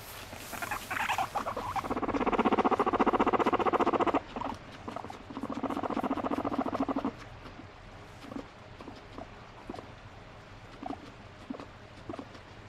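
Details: Pet guinea pig vocalising and writhing with delight while demanding to be petted; a high squeak opens, then two long, rapid buzzing pulsed bursts of about two and three seconds, followed by soft scattered clicks and rustling.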